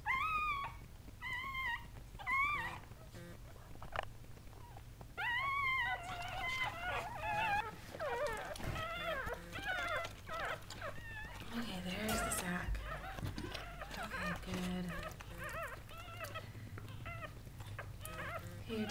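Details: Sandy, a Goldendoodle mother, is in labour and birthing seven puppies. Repeated short arched whimpers open the recording, then denser overlapping squeals and wavering whines follow, with rustling, a low hum and a soft human voice calming her.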